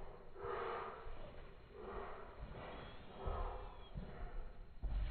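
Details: Ange, a French Bulldog, romping before bed with repeated breathy snorts roughly once a second, low and raspy, followed by louder thumps near the end.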